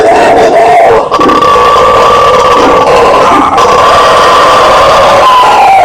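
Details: Howler monkey, called bugio or guariba, in a steady, powerful roaring chorus with a long, level, moaning tone, dipping and shifting near the start and end.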